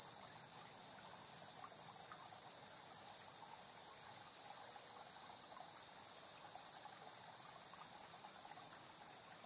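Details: Insects chirping in the evening at 7:04 PM on 3 September 2022, recorded with a handheld stereo recorder: a dense, unbroken high-pitched trill holds steady throughout, with a fainter higher band above it and a quiet background.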